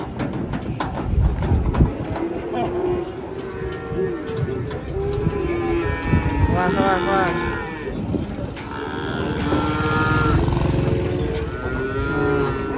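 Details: Indonesian cattle unloading from a truck: repeated deep moos with a drawn-out, slightly rising tone stand out over crowd chatter and mechanical rumbling.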